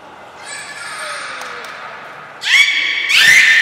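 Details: Belugas Gray, Mirai and Niko in a training session at Nagoya Port Aquarium, 16 December 2018. A thin high steady tone comes first, then two loud buzzy harmonic calls that sweep upward and hold, about a second apart, in an echoing hall.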